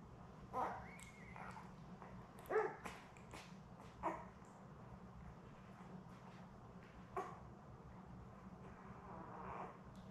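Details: Labrador Retriever puppies, seven newborns with mother Belle, born May 24, 2021, filmed indoors by puppy cam; short high squeaks and yelps come in scattered bursts, a few louder cries standing out above a constant low background hum.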